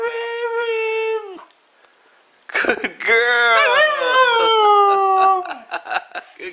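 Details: Misha the husky, praised as a good girl, gives a short steady howl, pauses, then launches into a longer, rising-and-falling yowling 'talk' with broken squeaky notes, ending in choppy whines indoors.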